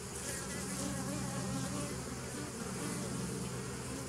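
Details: Short stretch of bee buzzing, 27 September 2018: an even, dense hum with several stacked low pitches and a soft hiss above, steady from start to finish.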